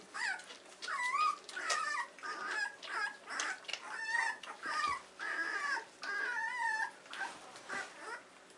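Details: Weimaraner pups, 14 days old, cry in the whelping box on a morning camera, with repeated wavering whines that bend up and down, roughly one each second, over soft shuffling and scratching.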